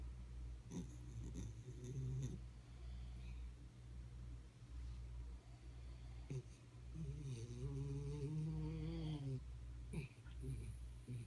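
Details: A sleeping Jack Russell Terrier snores indoors, with two drawn-out, nasal, slightly wavering tones, a short one early on and a longer one later, over a steady low hum.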